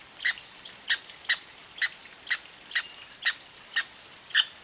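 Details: Little red squirrel with a bad case of hiccups, blamed on eating seeds too fast: sharp, clicky hics repeated about every half second, nine in a row, bright and high with no other sounds.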